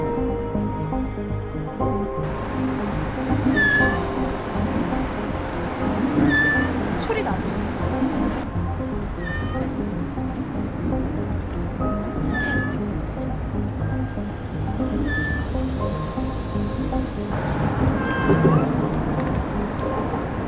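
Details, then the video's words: A nearly dying black kitten, trapped and possibly limping on its right leg, atop a 15-metre-high bridge, gives short, high, plaintive meows every few seconds, crying in distress for rescue. "AD: Tôi vừa nghe thấy tiếng mèo con khóc PD: Bạn có thể nghe thấy nó, phải không? / Đúng Tiếng khóc càng to hơn .."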